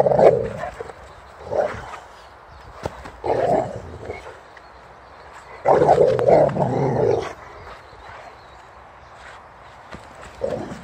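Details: Boxer named Rex at play, chased by a bucket while refusing to let go of the ball in his mouth; muffled, throaty growling bursts come in uneven clusters, the longest around six to seven seconds, with short quiet gaps between.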